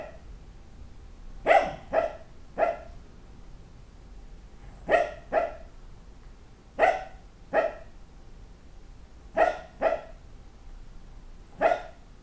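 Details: A dog dreaming in its sleep; muffled, stifled barks come in bursts of two or three, spaced a few seconds apart, over a faint steady hum.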